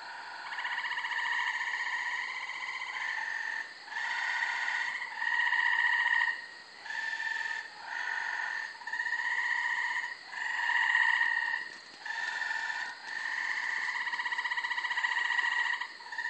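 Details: Multiple wild Gray Treefrogs chorus at night from a brushy, wooded undeveloped corner lot in Carolina, Rhode Island, in late May: overlapping musical trills, each lasting one to three seconds, alternating between callers with brief gaps.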